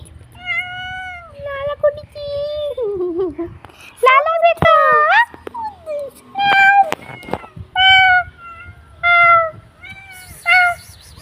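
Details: A pet cat meows again and again, roughly once a second, in clear wavering cries that slide up and down in pitch, some short and some drawn out, while people talk nearby.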